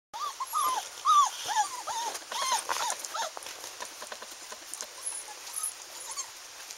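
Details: One-month-old Standard Poodle puppies playing outside: many quick, high yelping whimpers, each rising then dropping, tumbling over one another rapidly before fading into softer scattered squeaks.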